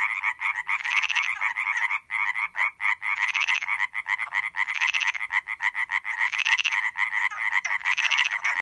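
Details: An Iberian tree frog (Hyla molleri) in the Montes de Valsaín, Sierra de Guadarrama National Park, Spain, calls in a fast, rasping series of harsh notes, like a rapid ratchet.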